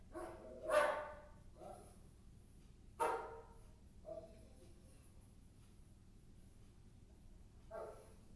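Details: Maggie, a dog, barking indoors: four sharp, separate barks at irregular gaps of one to four seconds, the first two loudest, with quiet room background between them.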